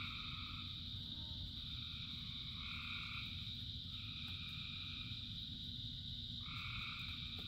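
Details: Rain-soaked frog chorus: several overlapping, sustained two-toned croaks follow one another, with a shrill steady chorus above and rain noise below.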